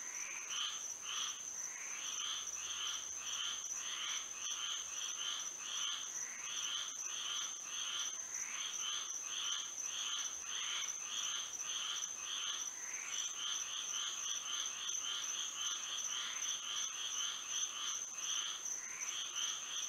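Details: Dense frog chorus on a moonlit Florida night: many raspy, pulsing calls overlap and repeat rapidly throughout, with a steady shrill insect drone running underneath the whole time.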